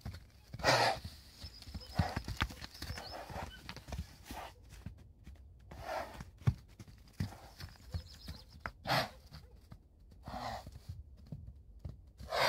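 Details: A mare heard among clip-clopping hoofbeats, with several short, breathy neighing bursts spaced a few seconds apart and faint human talk in the background.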